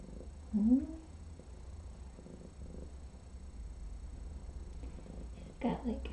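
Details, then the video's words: Trapped feral female cat with a lice infestation purring at her intake exam as her foot is cleaned; continuous low rumbling purr throughout, with a short rising voiced sound near the start and brief voiced sounds near the end. "infested feral cat starts purring during intake"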